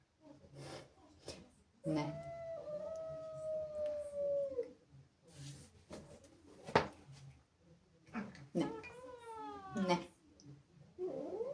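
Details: ['Jealous of kittens that have entered the house, Zippy, a female domestic cat, gives a long level wailing howl, then later a wavering rising-and-falling yowl, amid clicks, knocks and background talking.']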